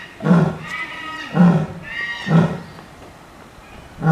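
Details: Female lion, nine years old, at Itozu no Mori Park zoo, roaring loudly before feeding time; deep, throaty groaning bursts with rich harmonics, four in quick succession about one second apart, echoing around the enclosure.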